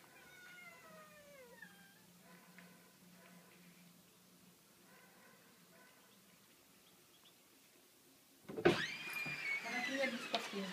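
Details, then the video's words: Cats meowing: a clear falling, drawn-out meow in the first two seconds, then quieter murmurs, followed by a loud burst of sound with overlapping higher cries near the end and some human speech. "Gatti miagolano"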